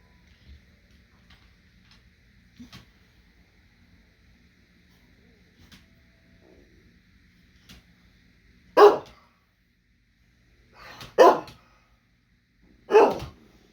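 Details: Small dog that won't share its food; after a long, quiet stretch of faint clicks, three short, sharp barks come about two seconds apart.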